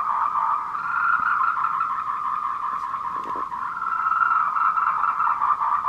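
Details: Tree frogs giving courtship calls on the Wulong trail at Meiling, Nanxi, Tainan, 26 April 2018 at 14:00, recorded with a Canon PowerShot SX720 HS; a dense, unbroken, mid-pitched croaking chorus that stays steady throughout.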